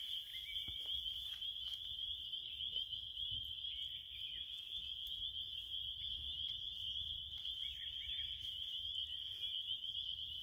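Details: Steady shrill cricket trill at a constant high pitch, quieter and slightly grainy, with soft ticks and a low background hum.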